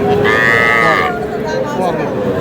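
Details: Bull calves at a cattle market in Noakhali, Bangladesh, where a farmer is buying young bulls: one drawn-out, steady moo lasting under a second, layered over the constant murmur of a market crowd.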